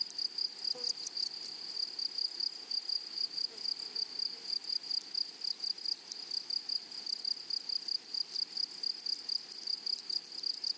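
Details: In a flowery meadow, grasshoppers keep up a bright, ringing, high-pitched trill. It is broken into quick regular pulses and continues unbroken, with a faint soft sound early on and otherwise only a hushed natural background.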